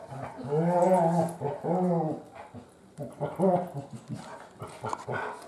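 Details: Biscotti, a female Great Pyrenees puppy almost 3 months old, gives drawn-out, tonal whining moans in two long arching phrases, then shorter broken grumbles fading into soft rustling indoors.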